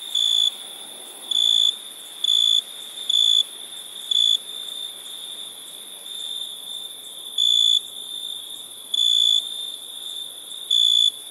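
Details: Nighttime crickets give high, steady trills of about half a second, spaced irregularly and sometimes pausing for several seconds, while a continuous thin insect hum runs underneath.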